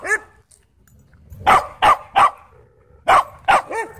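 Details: Dog going crazy at a dog park: an opening yip, then a quick run of sharp, loud barks in two clusters, ending in a higher arched yelp.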